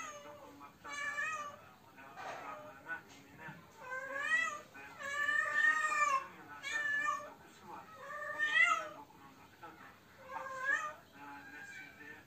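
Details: Cat unable to find a mate, yowling loudly: long, wavering, rich-toned moans that rise and fall in swells every one to two seconds, indoors with no other clear sounds.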